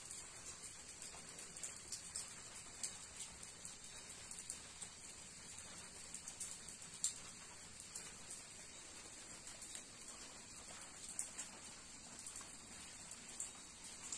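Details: A cicada on a rainy day in the woods at Umroi, Meghalaya, holds an unbroken, high, hissing shrill drone barely changing in pitch or loudness, while raindrops patter throughout with soft irregular clicks.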